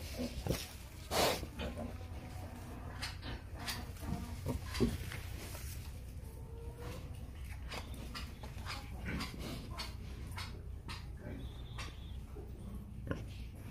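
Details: A wild boar in its nest gives soft, irregular grunts and snuffles, mixed with rustling and sharp clicks.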